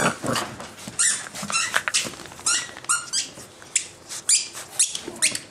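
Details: Nine-week-old Boxer puppies and thirteen-week-old Edna romp with Vegas in a small room, giving a steady string of short, high-pitched squeaks and yelps, roughly two or three per second, over soft scuffling.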